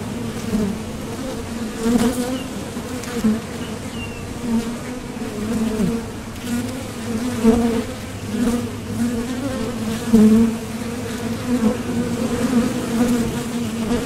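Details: Continuous hum of honeybees at a Top Bar Hive entrance, foragers leaving and landing on trips for nectar. A low, dense buzz with an upper overtone, pulsing irregularly louder and softer as individual bees pass close by.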